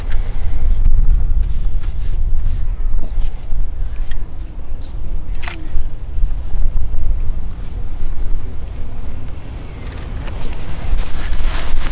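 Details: Loud low rumbling, like wind buffeting or distant traffic, with no animal voice.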